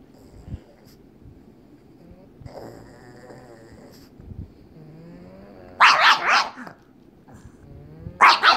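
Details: Pug named Waddles playing with another pug named May, indoors; low whiny growls and grumbles build up, then two loud sharp barks burst out around six seconds and another near the end.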